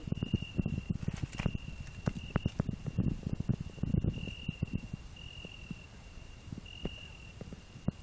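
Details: Cricket singing on a rose bush alongside a grasshopper, with a hedgehog resting beneath; a steady high pure tone breaks into separate drawn-out bursts, over loud rustling and thumping from close handling among the thorny branches.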